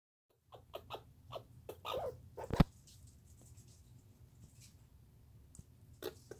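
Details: Douglas squirrel recorded in 2019 giving a chatter: a string of sharp, dry, broadband clicks spaced unevenly about three per second, with one loud snap midway and quieter pauses before a final burst.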